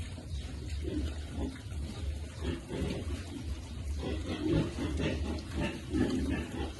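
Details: Piglet being fed on a farm, giving short low grunts in rhythmic bursts about once a second, some louder than others, over a steady low rumbling background.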